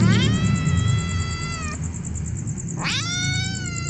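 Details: Hungry kittens meowing: a long, level, slightly descending meow, a short pause, then a second meow that rises sharply before holding steady; low rumble and a faint constant high whine underneath.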